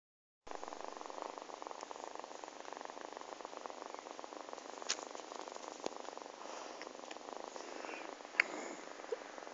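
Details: Ori the cat purring, a soft continuous rapid pulsing rumble that runs steadily through the clip, with a few faint clicks and light rustling.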